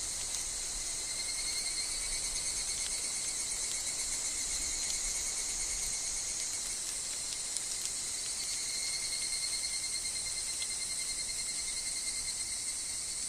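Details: Chorus of higurashi cicadas in a forest, a continuous high metallic shimmer with slight pulsing texture and a faint steady lower tone, over a quiet background of wind and leaves.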